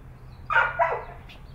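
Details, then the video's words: Chocolate Labrador Retriever puppy stuck at the top of the stairs, unable to get down, giving two short high whining yelps in quick succession, then a faint third note. "Chocolate Lab Puppy Can't Get Down The Stairs"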